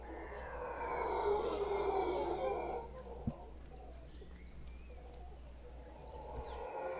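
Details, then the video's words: Howler monkey troop calling from a tree in Guanacaste: a dense, growling chorus of roars for about three seconds, then quieter, with bright bird twitters scattered throughout. "Howler Monkeys in Guanacaste"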